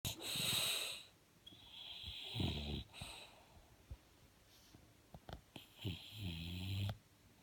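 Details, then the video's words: Bulldog snoring while asleep: rasping, wheezy inhalations with a rattling low buzz, breaths about every one to two seconds, with some soft snorts and clicks between them. "Bulldogge Ernie schnarcht"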